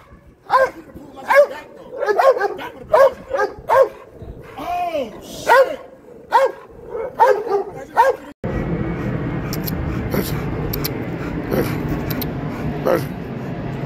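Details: Dog at an urban dog show giving a run of short, sharp barks roughly once a second for about eight seconds, then a loud, steady wash of crowd and background noise takes over.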